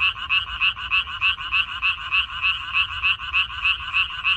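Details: Frogs chorusing in a Korean water-parsley (minari) field on 14 May 2021: dense, steady rattling croaks pulsing about three times a second, bright and raspy, many voices overlapping with no other sounds.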